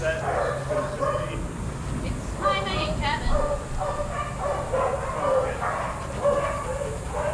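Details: Shelter dogs playing and running together at a daycare. Overlapping barks and yips come in clustered bursts every second or so, with human voices and a continuous low rumble of room noise beneath.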